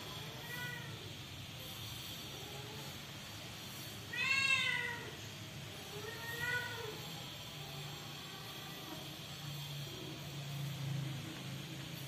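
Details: Newborn kittens in a home giving a few thin, high meows, one clearer cry midway and fainter ones before and after, over a steady low background hum.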